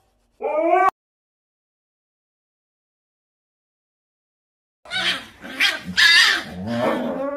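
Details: Dramatic Siberian Husky gives a short rising, harmonic whine, then falls silent for about four seconds before breaking into a run of loud, rough yelping and wailing vocal outbursts.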